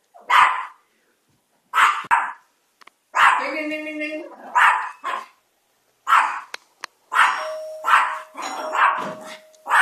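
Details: Chihuahua called Chico, wearing a diaper, barks repeatedly in short, sharp yaps spaced irregularly, while a person calls him to come here, with voices overlapping the barking.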